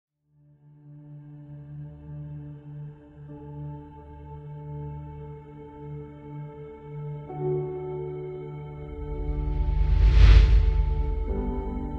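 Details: Sustained, droning ambient music with resonant bowl-like tones swells into a brighter rushing crescendo. No animal voice can be picked out anywhere in the recording.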